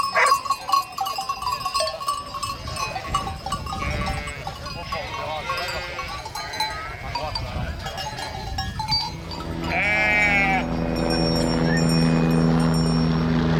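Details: Goats in a crowded, noisy setting with several overlapping wavering bleats, then one long, strongly quavering bleat, followed by a steady humming drone with high ringing tones.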